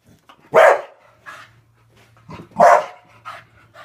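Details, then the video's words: Bubble-attacking Staffordshire bull terrier barking indoors: two loud, explosive barks two seconds apart with short huffs and panting between them, a faint low hum underneath. "Staffie attacking his mortal enemy"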